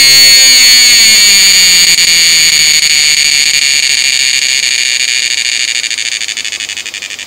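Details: Gaeana atkinsoni cicada of the Western Ghats forests in southern India; intense high buzzing call held steady with rapid pulsing, slowly fading and becoming choppier toward the end, a faint lower descending tone early on.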